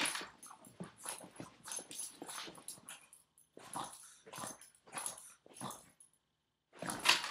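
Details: Nine-year-old Boston Terrier playing indoors and refusing to let go of its owner's foot; bursts of snorting, grumbling growls come in quick succession, roughly every half second, with brief pauses near the third and sixth seconds.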